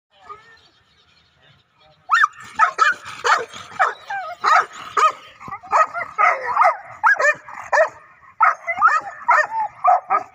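Dogs bark in rapid, irregular bursts, loud, harsh and overlapping after a quiet start.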